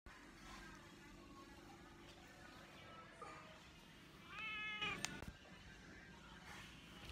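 A Persian cat gives a single short, clear meow over a low background hum.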